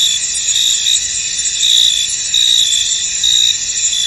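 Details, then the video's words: Chorus of crickets in a fog-covered field: continuous shrill, shimmering trill with louder pulsed chirp bursts every second or so, no other sounds standing out. "Tranquil Cricket Sounds In An Misty Field"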